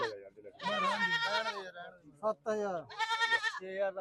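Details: Goats at a goat market in Dhanaula: two long, loud, wavering bleats rich in harmonics, each about a second, with shorter bleats between them and men talking throughout.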